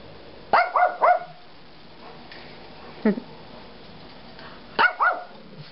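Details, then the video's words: Pet dog at home, frisky in the morning before its owner leaves for work, giving a quick double bark, a single short bark near the middle, then another double bark, in a small indoor room. "jorja barks"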